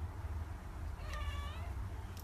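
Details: Cat chatting, giving a single short, clear meow of about half a second with a steady, slightly wavering tone and bright overtones, set against a constant low rumble of background noise.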